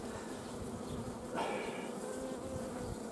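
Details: Honey bees working in a Romanian apiary's bio-hives in mid-July 2016, during the honey flow and harvest. Constant low, layered hum, interrupted by a short rustling burst partway through, then a thin whining tone of a passing bee.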